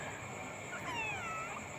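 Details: Village cat playing with a small black snake that appeared nearby gives a single drawn-out meow of roughly a second, its tone bending and falling, over a steady background hum.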